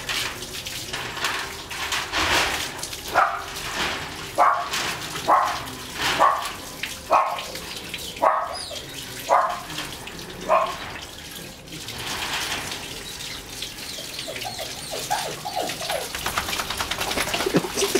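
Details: German Shepherd x Labrador cross during bath time, giving a run of short tonal whining yelps about once a second over steady running water, with a few quieter sounds near the end.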